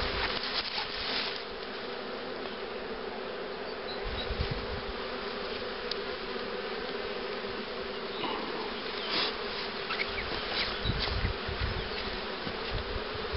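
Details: Honey bees buzzing at hives prepared for queen rearing, with a starter colony for accepting royal cells and a box of breeder queens; a steady dense hum with light rustling and a few clicks throughout.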